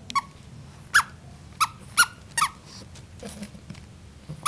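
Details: Bulldog puppy hiccuping: short sharp squeaky hics repeated roughly every half to one second, each a brief clipped burst, over a low steady background hum.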